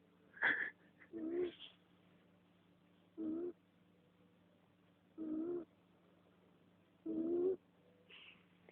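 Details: Snoring from Susi, a female domestic cat: steady, buzzy low breaths repeating about every two seconds, with a short higher squeak near the start and end.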